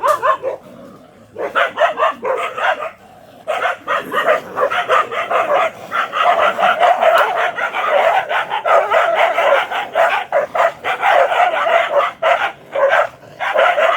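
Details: A black Bhotiya dog barks in rapid, harsh bursts, almost without pause.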